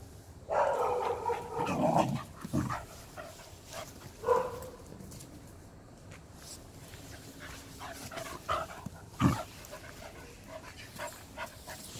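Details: Welsh Corgi named Hodu playing ball and catching it. Gives a loud, drawn-out, harmonic bark-whine lasting about two seconds, then shorter yelps near 4 and 9 seconds. Quiet room noise sits between them.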